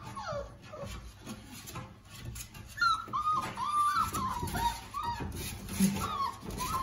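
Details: Rhodesian Ridgebacks at a kennel waiting for their feeding, giving repeated high-pitched whines that slide up and down, several overlapping in quick succession, with low thumps and background movement.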